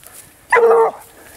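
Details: Vallezano hound on the trail of wild boar, giving one clear, sustained baying note of under half a second, steady in pitch and rich in harmonics, over a quiet outdoor background.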